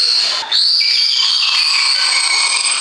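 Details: A beluga whale gives a high, steady whistle that wavers slightly and breaks briefly near the start; the belugas' sounds are likened to passing gas.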